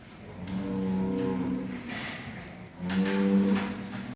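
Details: Bulls on a farm in Quva district, Fergana region, Uzbekistan, a hybrid among them, with two low, drawn-out moos of about a second each, separated by a pause, against a background of murmuring voices.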